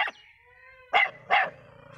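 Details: Dog barking: two short, sharp barks close together near the end, preceded by a brief yelp, with quiet background hum.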